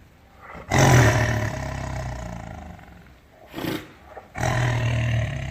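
A tiger gives deep, rumbling roars, each a long throaty bellow that fades before the next.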